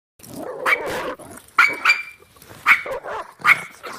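A young dog gives a run of high, sharp barks at uneven intervals.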